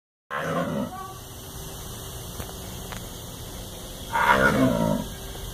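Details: Jaguar roaring at the Jacksonville zoo: two rough, broad bursts, a short one at the start and a louder one about four seconds later, over a steady background hum.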